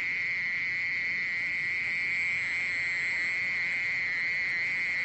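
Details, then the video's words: Steady, high-pitched churring of a mole cricket, National Institute of Biological Resources, 2020. The trill runs without pause at a constant pitch, smooth and insect-like, with faint overtones. "땅강아지, 여러번 듣기, 곤충소리"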